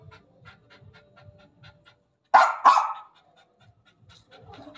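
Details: German Spitz pet dog named Jack, described as angry: soft rhythmic panting, then two loud, harsh barks in quick succession, followed by quieter panting and low rustling.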